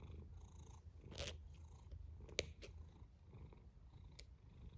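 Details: A sleeping cat's snore, heard as a soft, low, continuous purring rumble, broken by a few faint clicks and rustles indoors.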